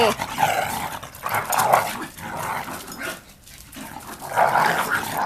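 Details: Pet pug roughhousing indoors with a Shiba Inu companion, two young male dogs at play; short growly, rough vocal bursts near the start, middle and end, with scuffling in between.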